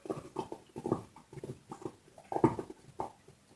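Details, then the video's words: Dog working on a bone indoors: steady, muffled crunching bites, about two or three per second, with a dull, low gnawing quality. "Hund kaut Knochen - Dog is chewing bone"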